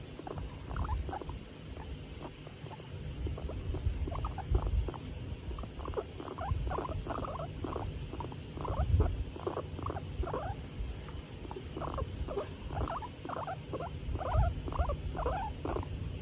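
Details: Hairless skinny guinea pig, female, happy as she is petted: a steady run of short squeaks and purring chatters, several per second, over constant low rumbling noise.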